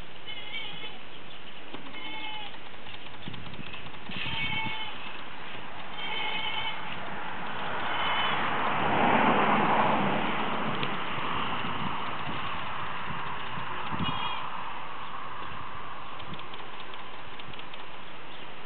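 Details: Farm goats coming out into the pasture, giving short harmonic bleats scattered through the recording, several in quick pairs, with a louder rustling, breathy noise swelling midway.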